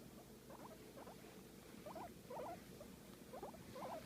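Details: Guinea pig enjoying a massage, making soft squeaky chirps in short rising-falling bursts around two per second, over a low steady hum.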